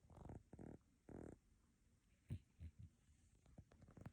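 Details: Sleeping pet cat snoring loudly indoors: three deep, rumbling breaths in quick succession within the first second and a half, then quieter, scattered low snuffles and soft clicks.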